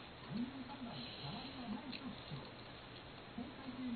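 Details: Eating pet cat Kou-chan complains about food that has slid to one side: repeated low, rounded, moaning murmurs, each arching up and down, come in quick succession over a steady indoor background.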